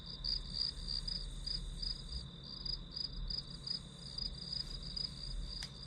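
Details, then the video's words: Grass insects in a study-with-me recording, a high steady band of pulsed chirps repeating about twice a second over a low rumbling background hum. "풀벌레 소리"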